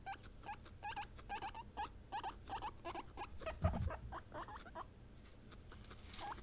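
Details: Three pet female guinea pigs, Peruvian, English and Teddy, expressing emotion through calls; soft, quick hooked squeaks repeated in a steady series, with a low thump partway and a faint hiss at the end.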